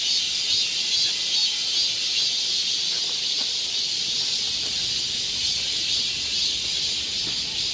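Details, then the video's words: Cicadas chorusing in summer in the forest of Galsan Park, Mokdong, Yangcheon-gu, Seoul: a dense, steady, hissing high-pitched drone with faint regular pulsing throughout, filling the woodland walking path. "매미울음소리. 한여름의 청량제와 같은 천사들의 찬가. 갈산공원 매미들 숲속의 합창"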